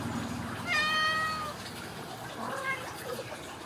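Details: Ragdoll kitten from a home cattery in central Kansas, raised without cages. It gives one clear, high, steady meow lasting under a second, then a fainter short mew. Soft room hiss runs underneath.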